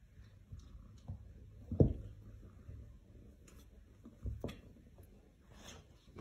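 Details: A quiet indoor room with a few soft thumps, light clicks and rustling, with no animal voice.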